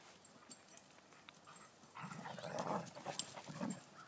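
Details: Two Irish Wolfhounds at home, Jack, a five-month-old, with Kelly, a newly arrived four-year-old female rescue; after a quiet start come low, rough, growly bursts, rising into several louder rasping pulses over the last two seconds.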